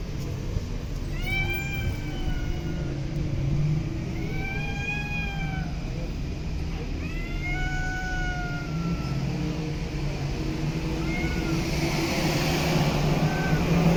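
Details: Homeless street cat meowing four times at roughly three-second intervals, each meow arching up then down, before a short faint call and rising noise from passing traffic near the end.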